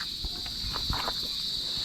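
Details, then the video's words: Crickets outdoors in the Philippines, called pleasant to listen to: an unbroken, shrill high trill holds steady throughout, while scattered clicks, soft thuds and footsteps sound underneath. "Sarap talagang pakinggan dito mga kuliglig. No? Saka yayay. Yayay yan eh, no?"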